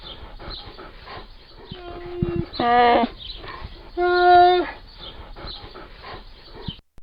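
A polar bear gives two drawn-out, whining, nasal moans over a low background hiss.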